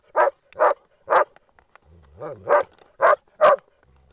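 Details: Several Groenendaels playing and guarding a resource give a quick series of seven punchy barks, evenly spaced about half a second apart. A low wavering whine sits in the gap mid-series.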